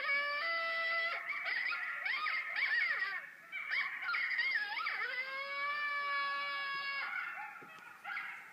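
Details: Wild coyotes howling at night near Medford Beach, Nova Scotia, loud enough to carry indoors through shut windows; several overlapping wavering, sliding high howls and yips blend into a chorus, one long steady note near the end.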